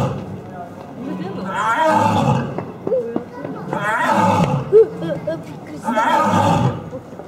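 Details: Lion at Asahiyama Zoo, Japan, on 30 October 2012, roaring indoors. Deep harmonic roaring bursts come in three rounds about two seconds apart, with quieter grunting between them and a sharp click near the middle.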